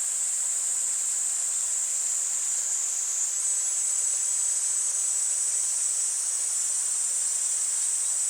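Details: Cicadas calling in August near moving water give a constant piercing, high buzz with slight wavering, layered over a steady rush of flowing water.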